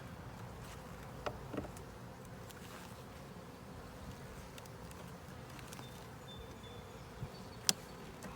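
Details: An open honey bee hive, a 10-frame deep box with a super, gives a constant buzzing drone during an inspection. Occasional knocks and one loud click late on come from the hive tools.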